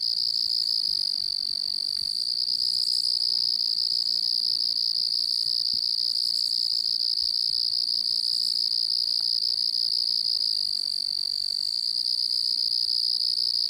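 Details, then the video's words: Distant crickets chirping constantly, merging into one steady, high, shimmering trill with a fainter higher overtone that never pauses. A few faint soft clicks sound in the background. "Crickets distant and constant chirping"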